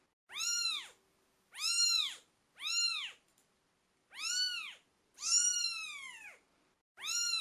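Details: Twelve-day-old British Shorthair kittens calling: six piercing, harmonic-rich mews spaced one to one and a half seconds apart, one stretched into a longer falling cry, over a low steady hum.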